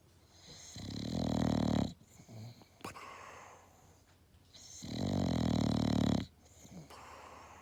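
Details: An English Bulldog snores loudly while napping, each deep rattling breath lasting about a second.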